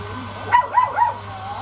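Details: Golden Retriever puppies getting to know a hair dryer give three quick high yips with wavering pitch over a steady droning hum of the dryer.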